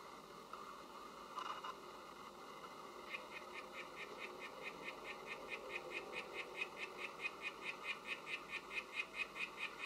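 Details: Oophaga sylvatica frog calling: a fast train of short, bright, buzzy pulses, about two to three per second, starting after a few seconds and growing steadily louder against a faint background hiss.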